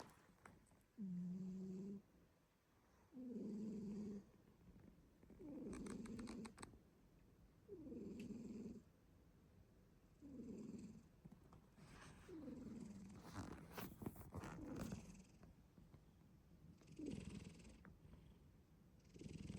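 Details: Black cat Shin-chan sleeping soundly indoors, snoring in low rasping breaths that swell and fade roughly every two seconds, eight snores in a row, with faint rustling between them.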